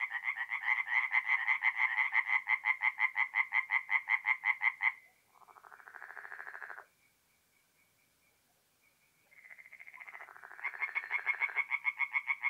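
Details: Singing tree frogs at a forest pond by night, North-East Italy in mid-April: a loud regular burst of quick knocking croaks, then a softer distant caller, a near-silent lull, and the rapid pulses returning.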